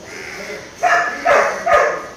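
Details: Labrador Retriever puppy named Maara, during training. Three short, sharp barks come in quick succession, roughly half a second apart, with a quieter stretch before the first.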